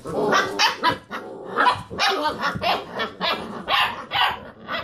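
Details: Playful Basset Hound puppies circling a computer chair; choppy bursts of rough barks and growly yelps, about two per second, overlapping voices of several puppies.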